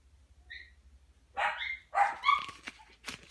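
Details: Female dachshund, a mother of puppies, begging indoors for a treat or food while being offered a treat or carrot: after a quiet start, short harmonic yips and whiny barks come in two or three quick bursts, then fade.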